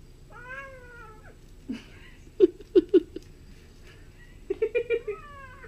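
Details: Indoor Bengal kitten Lily at play with a dragonfly: a drawn-out falling meow, then short clipped chirps in quick bursts, ending with a brief chattering run and an upward-curving meow.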